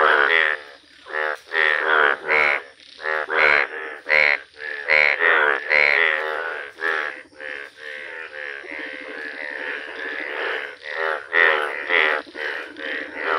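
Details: Indian bullfrogs, bright yellow, calling in a village: a dense chorus of rough, nasal croaks pulsing several times a second, with overlapping callers that keep up an almost continuous throbbing din.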